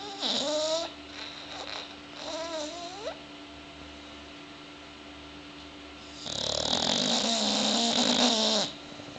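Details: Sleeping bulldogs snoring indoors: rough, hissing breaths with wheezy whistled tones that rise and bend, two shorter snores early on, then a long, loud drawn-out one after a quiet pause.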